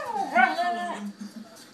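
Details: Siberian Husky complaining in a dispute with another dog over chewy chips; one drawn-out wavering whine that rises then slides down over about a second, followed by quiet low murmurs.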